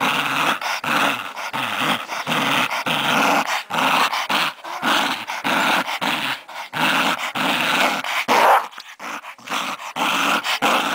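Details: Cody, a pet Scottish Terrier, growls steadily while playing indoors, a raspy continuous grumble broken into short uneven bursts with brief gaps throughout.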